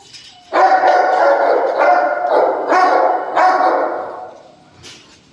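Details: Loud, drawn-out barks from a Dogo Argentino, four strong, raspy bursts starting after a brief quiet moment, each running into the next before tapering off near the end.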